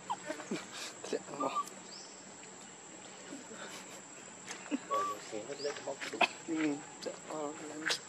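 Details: Baby monkey begging for milk, crying out of hunger: brief arched whistled notes, then a run of buzzy, wavering, harmonic-rich cries toward the end, with clicks, rustling and a constant high whine behind.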